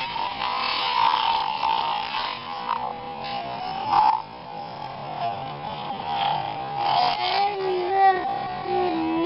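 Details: Whale calls heard as drawn-out, wavering tonal moans and squeals, some sliding up and down in pitch, over steady hiss and electronic interference throughout.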